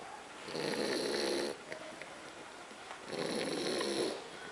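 A French Bulldog snores in two long, rasping breaths about three seconds apart.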